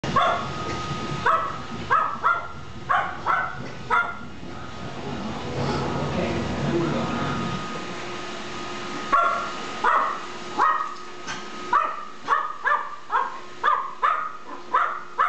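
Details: Gizmo, a small dominant dog, barking non stop at an iRobot Roomba vacuum on first meeting it indoors; sharp high yappy barks in quick bursts, a steady hum from the running machine underneath and a quieter stretch midway.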